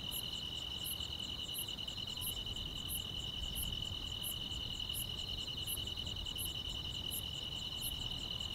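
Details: On a summer night, grass insects keep up a dense, even, high-pitched trill, punctuated by piercing short chirps recurring at a steady pace of roughly one every 0.7 seconds.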